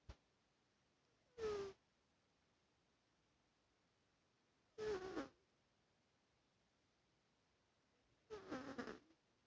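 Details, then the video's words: A sleeping cat snores in three short, raspy bursts, each less than a second long and spaced roughly three to four seconds apart. Near silence fills the gaps between breaths. "Cat snoring"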